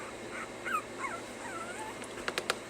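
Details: During training to stay, puppies let out soft sliding whines that bend downward and rise again, followed near the end by three quick sharp taps or clicks.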